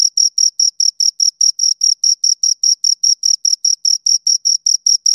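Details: A pair of crickets giving rapid, piercing chirps, each a brief bright pulse repeated roughly four to five times a second in a regular beat, heard close up against a silent background.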